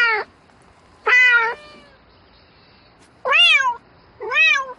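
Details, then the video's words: Domestic cat meowing at night to call for a mate: four loud, clear, arching meows with bright harmonics, the first clipped short and the rest spaced about a second apart, separated by quiet gaps. "Tiếng mèo kêu Gọi Bạn Trong Đêm Meo Meo Từng Hồi"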